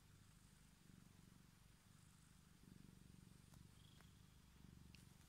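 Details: Pet cat lying on a hand and wanting attention, purring in a close, low, fast, evenly pulsed rumble that grows slightly louder in places, with a couple of faint clicks and a soft high tone.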